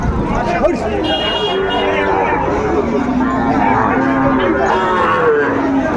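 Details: Sahiwal cattle at the Ambari haat livestock market in Dinajpur, Bangladesh, 27 May 2024, where Sahiwal bull calves are on sale. Drawn-out, low moos hold steady through the middle of the clip under constant market chatter and men's voices.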